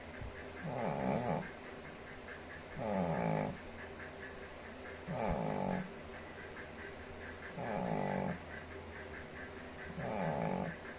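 A Shih Tzu snores in slow, regular rasping breaths, each lasting about a second, roughly every two seconds.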